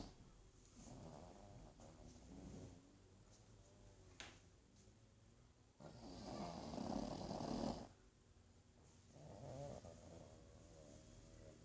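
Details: Snoring from a sleeping pug called Archie: three rasping snores spaced several seconds apart, the middle one loudest and harshest with a hissing edge, separated by quiet low breathing and a brief click.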